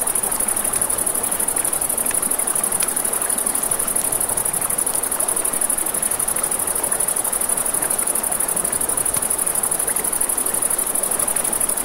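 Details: Crickets at night beside a river, a steady high, pulsing trill running unbroken through the whole stretch, over the hiss of flowing water and occasional sharp pops of a crackling campfire.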